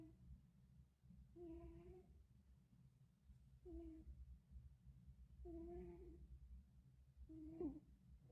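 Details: Sleeping cat snoring in a small room: low rumbling breaths with a humming, voiced tone rising on each of four breaths, spaced roughly every two seconds.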